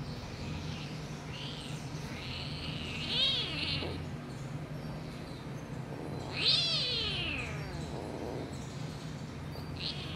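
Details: Kittens giving thin, high-pitched mews, several drawn-out, harmonic-rich calls that rise and then fall, spaced a few seconds apart, over a steady low background hum.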